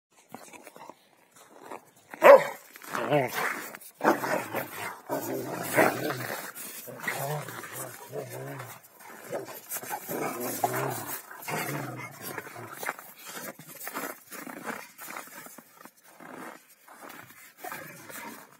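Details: Two Rottweilers, Malysh and Sam, playing king of the hill, with Malysh winning the hilltop while Sam keeps contesting it; dense rough growling and bark-like bursts fill most of the stretch, with a loud outburst early on.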